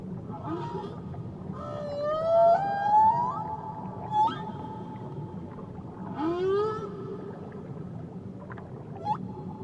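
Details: Singing whale off Tahiti: long tonal phrases of rising, harmonic-rich cries alternate with short chirps and a sweeping lower upsweep, set against a continuous murmur of ocean noise.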